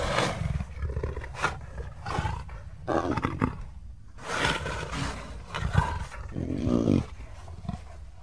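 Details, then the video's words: Leopard sounds as a series of rough, noisy roars and snarls, each lasting under a second, coming in quick succession with uneven loudness throughout. "Leopard Sounds"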